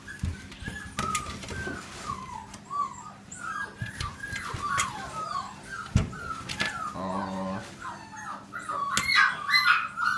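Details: Labrador crossed with Curly Coated Retriever giving a run of high, wavering whines and whimpers, about two a second, with some rustling and handling noise.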